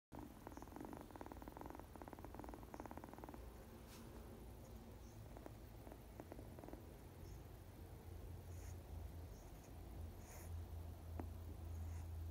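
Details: Domestic cat purring: a steady low rumbling throb held throughout, with faint higher crackles and a brief patch of brighter buzzy texture early on.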